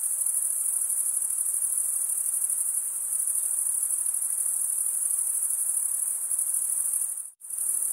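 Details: Crickets stridulating, their wings rasped together into a steady, very high, sizzling trill that carries on evenly, then drops out almost completely for a split second near the end before resuming.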